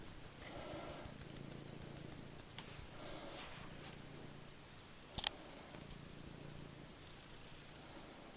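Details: Domestic cat Cissy, a pet indoors in a small room, purring as a low, steady rumble with soft breathy sniffs and one sharp click near the middle.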